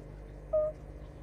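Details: A fire-bellied toad (Bombina bombina) sings, giving a single soft, mellow 'oop' note, pure and slightly hollow.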